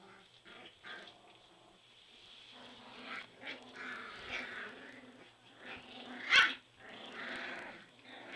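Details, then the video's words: Three-week-old Border Collie puppies squabbling in a whelping box: overlapping whiny, nasal squeals and grumbling growls rise and fall continuously, with one sharp high yelp near the end. "2 Minutes of Border Collie Puppy Drama!"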